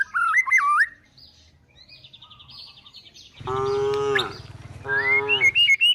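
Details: Herded tame cows and calves heading to the forest to look for food; two rich, sustained moos arrive midway, preceded by bird chirps and a faint buzzing, with birds calling again at the end.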